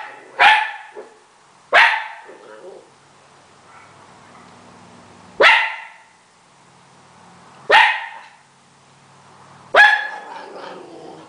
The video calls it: My Italian Greyhound Barking Like Crazy!! Funny. :D